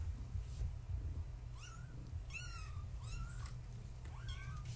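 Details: Kittens of Gaia, a floofy tabby, born March 14, 2017, at bedtime play with their mother nearby; four or five thin, high kitten meows, some bending downward, others wavering, spaced about a second apart over a low steady room hum.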